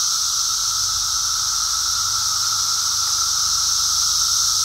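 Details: Brood X periodical cicadas during emergence, met on a walk, keep up a steady droning chorus, a level whining tone beneath a bright continuous hiss.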